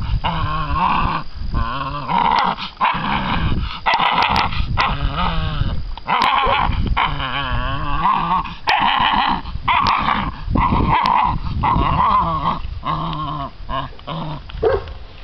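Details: American Bandog Mastiff puppies aged six weeks growl and yip while fighting over a chicken on a string in a prey drive test; continuous loud growling bursts with occasional sharp clicks.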